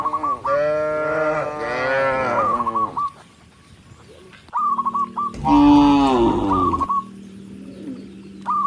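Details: A herd of tame cattle walking along a rice field road gives two long, rich moos separated by a quiet gap, with short repeated chirps sounding in between.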